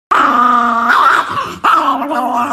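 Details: An angry Chihuahua gives a sustained, tonal, whining growl that breaks briefly after about a second, then resumes at a steady pitch indoors.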